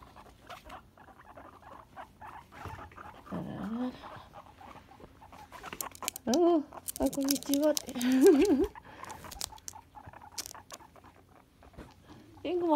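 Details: Two female pet guinea pigs sharing a home since March 2018: short-haired, lively Tink wants to play, while long-haired, calm Kanon does not. A brief low wavering whine, then longer harmonic moaning calls rising and falling, amid rustling and tapping.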